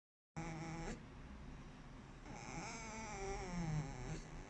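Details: A sleeping male fox recorded on 4 July 2020 gives a squeaky, nasal, drawn-out tone with stacked harmonics. It comes in two stretches, first briefly, then longer and wavering, over a low rumbling snoring breath and steady background hiss.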